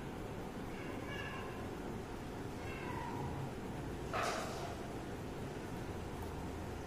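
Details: Domestic cat alongside a kitten, the pair playing and drinking milk; soft, faint meows near the start and again around three seconds, then a brief broadband burst, all over a constant background hiss.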